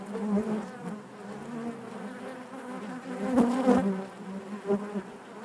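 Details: Honey bees buzzing naturally inside their hive: a dense, steady hum with a droning low tone and layered overtones, swelling louder around the middle with a few sharp clicks and knocks.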